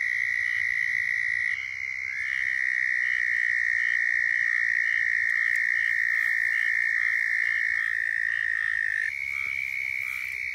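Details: Several southern toads trill together in Florida, their mating calls overlapping as long steady high-pitched trills at slightly different pitches, one rising briefly near the end, with a faint low rumble beneath.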